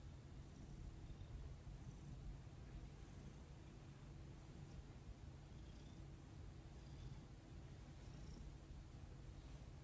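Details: Domestic cat named Thomas purring during his first full-body massage, a low continuous rumbling hum with a steady pulsing texture throughout, quiet room with faint background hiss.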